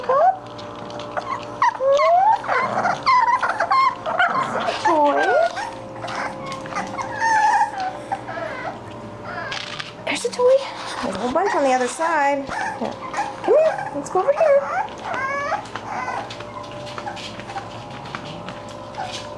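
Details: English Bulldog puppies at play whine and yip almost without pause, high thin cries bending up and down in overlapping bursts, with a woman's voice calling them toward their toys.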